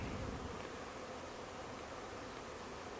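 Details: Honey bee swarm of thousands in a Huntington Beach backyard, passing through while scouts seek a new hive; dense, steady droning hum fills the air without pause.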